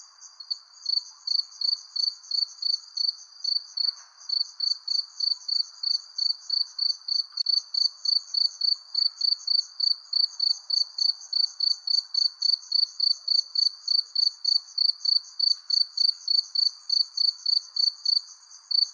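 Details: Cricket chirping under a persimmon tree as the sun sets: a loud, steady train of short high-pitched pulses, about three or four per second, with a fainter higher band above and a soft low background hum.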